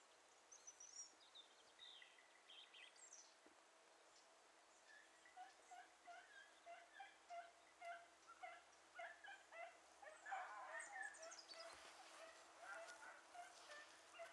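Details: Beagles, including dogs named Ribo and Mira, pursuing a hare that crossed through water; distant pack baying in rapid, irregular overlapping yelps, building in loudness toward the end, with faint high bird chirps.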